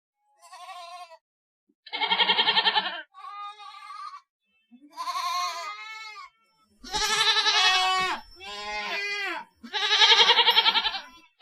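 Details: Goat bleating repeatedly over about eleven seconds: several short, thin cries early on, then louder, overlapping, quavering bleats, possibly from more than one animal, growing fuller toward the end.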